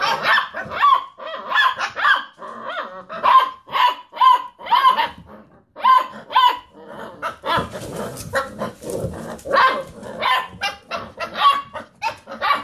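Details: Basset Hound puppies rooing in play around a computer chair, a chorus of overlapping high yips and wavering mini-howls repeated almost continuously, with a noisy scuffle midway.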